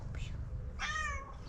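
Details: Street cat Pom pom asking for food with a single clear, drawn-out meow that starts high and slides gently down, preceded by a faint brief sound; low room rumble underneath.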